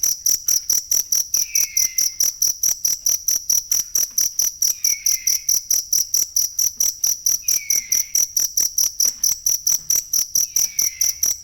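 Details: Real cricket sound for masteran songbird tutoring: rapid, regular high-pitched pulses about 140 per minute, continuous throughout, and a soft downward-sliding whistle returning every few seconds.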